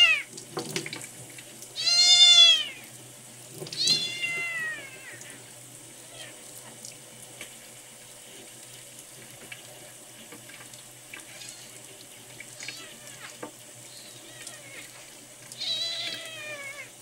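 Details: Miel, a red tabby and white male kitten rescued at one day old, sick and dehydrated and refusing milk, on day ten of care: three high, arching meows at about two, four and sixteen seconds over running tap water.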